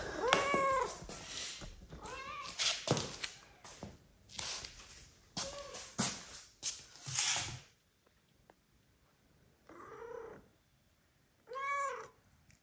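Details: Mother cat Kira, who recently gave birth and adopted a second kitten, meows loudly indoors to ask for petting while her newborn kittens sleep; a series of loud, drawn-out harmonic meows in the first eight seconds, then quiet, then two more meows.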